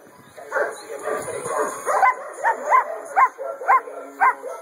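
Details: Female black and tan German Shepherd, two years old and AKC registered, quiet at first, then sharp, tonal barks repeated steadily about twice per second for the last few seconds.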